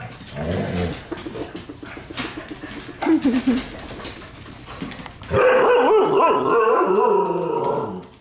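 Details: During evening living-room play, pet dogs trade low, rumbling growls and scuffling for several seconds before one bursts into a loud, sustained, wavering whine-growl that holds for nearly three seconds.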